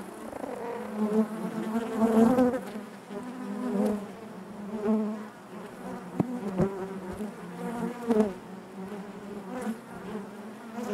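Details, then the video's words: Inside a busy honey bee hive, a thick buzzing drone pulses in repeated swells every second or two, with sharp clicks and close wingbeats cutting through the steady hum. "bees therapy hive natural buzzing sound"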